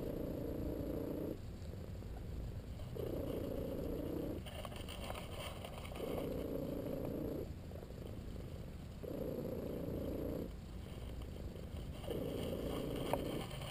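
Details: Massaged while napping, LoneWolf the cat keeps up a low purr with squeaky whistle-like tones on every breath. Five even squeaks, each roughly one and a half seconds long, alternate with rumbling pauses.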